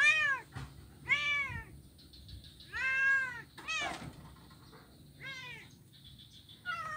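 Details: Kitten that is blind, playing on an ironwood plank bridge in Kuala Kapuas, Central Kalimantan, recorded 25 November 2019; five plaintive arched meows about one second apart, with a sharp knock midway and faint low hum.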